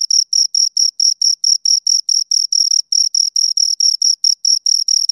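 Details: A pair of crickets produce fast, evenly spaced chirps, high and tinny, with brief gaps between pulses. A few slightly uneven spacings appear along the run, and no other sound is present.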